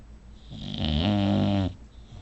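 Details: Sleeping female bulldog named Hannah giving one loud, drawn-out snore, a harsh rattling rumble with a steady low buzz lasting about a second, between softer breaths in a quiet room.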